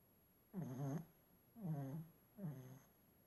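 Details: A sleeping Shih Tzu snoring: three low, rasping breaths in a row, each about half a second long and rich in stacked tones, coming roughly once a second in a quiet room.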